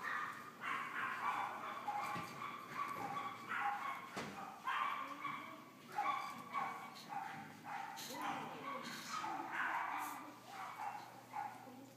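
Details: Cream-coloured French Bulldog pup, a female born 19 May 2013 and growing well on weaning food, whimpers and yelps continuously in short pitched bursts, with faint human voices and small knocks mixed in.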